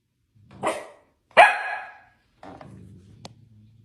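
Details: Dalmatian barking at close range: two loud, broad harsh barks about three quarters of a second apart, followed by a softer low rumbling growl with a brief click.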